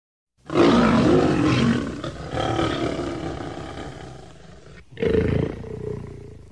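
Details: Lion, edited recording: a long, harsh, broadband roaring growl lasting about four seconds and gradually fading, then a shorter, louder snarl after a brief break; no other sounds.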